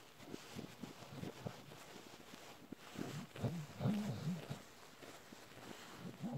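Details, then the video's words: Low, irregular sucking and smacking from an adult Bull Terrier nursing on a panda plush, broken by short, rising-and-falling grunting moans in the middle and a brief one at the end. "adult Bull Terrier suckling on Ikea panda plushy"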